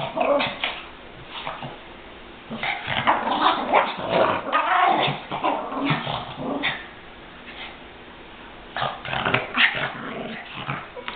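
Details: Chihuahuas attacking each other in play or a fight: bursts of rasping growls and snapping yips and barks, with a quieter pause midway before another burst of snarling near the end.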